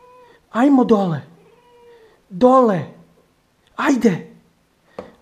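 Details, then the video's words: Female house cat perched on a fridge, arguing back when told to get down; three long, drawn-out, wavering meows about 1.5 seconds apart, each bending up then down, with a faint steady hum and a person speaking nearby. "Arguing with Lina the cat"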